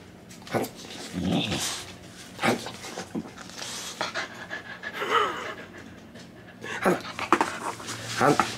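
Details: Mahina, an irritated Dalmatian indoors, letting out breathy, noisy panting huffs in uneven bursts, roughly one every second, with a person's voice talking nearby.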